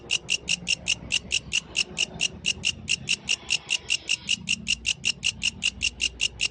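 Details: Yellow grasshopper singing in nature at night: crisp, high, evenly spaced dry pulses, about five per second, continuing steadily throughout over a quiet low background.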